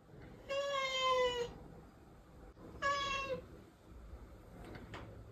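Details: Rescued domestic cat giving two long, clear meows with a faintly descending tone, about two seconds apart, followed by soft rustling and quiet background noise.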